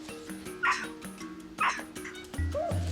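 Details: Urgent alarm from a female capuchin monkey that has seen a snake on the ground, warning her troop. Two loud, bright squeaks about a second apart, then softer chirping, over orchestral background music.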